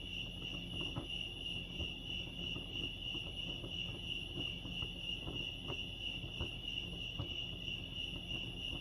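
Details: Chorus of crickets at Lake Arrowhead in California keeps up a continuous high-pitched trill with a faint pulsing texture. Low murmuring ambient noise and scattered soft knocks sit underneath.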